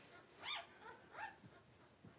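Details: Two bright arched cries from newborn Cavalier King Charles Spaniel puppies of a September 2022 litter, each followed by softer low grunts and shuffling sounds.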